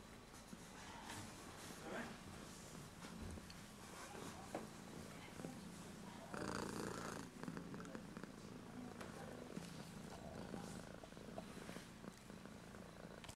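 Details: Kitten recorded with a JVC GZ-MS100 camcorder using its front LED, purring in a soft, low, steady vibration throughout, with a brief louder rustle midway and faint speech.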